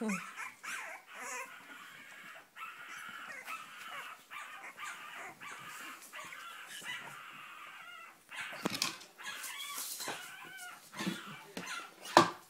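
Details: Litter of Cavalier King Charles Spaniel puppies, born 7 April 2014 to Sarlat and Chloé, Spain, trying to get out; steady chorus of thin whimpers and yips, with a burst of rustling partway through.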